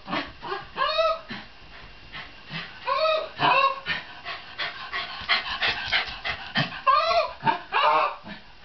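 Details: Shiba Inu dog giving repeated high whining yelps that rise and fall, several short vocal bursts spread over a few seconds, with some background voices.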